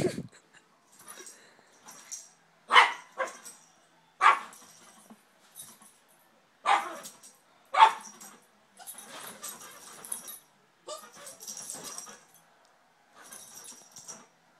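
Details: Two fighting Yorkshire Terriers: loud sharp barks every second or so, followed by quieter, rougher snarling yaps.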